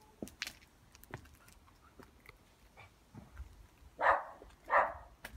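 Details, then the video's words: A happy dog barking, heard as two loud, broad barks close together near the end, after scattered faint clicks and knocks, with no other voices. "a Happy Barking Dog!"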